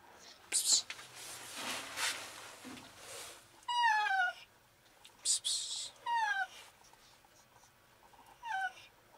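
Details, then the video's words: Trapped, visibly sick female cat in an enclosed alley calling for help; three short descending meows spaced apart, mixed with scraping and rustling noises and brief bursts of hiss-like sound. "Cat trapped in an alley desperately meows for help"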